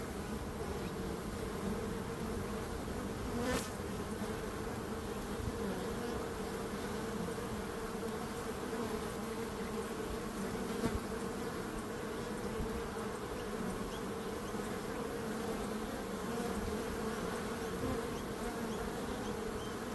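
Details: Steady buzzing of bees forms a low, level drone, interrupted by a single crisp tick early and a fainter one later.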